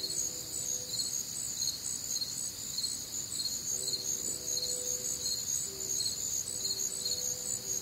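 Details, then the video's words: Night chorus of crickets recorded on a warm, humid Midwestern summer night, high-pitched trilling pulses layered in continuous bands, with faint low tonal hums drifting in and out beneath. "Night Time Cricket Sounds"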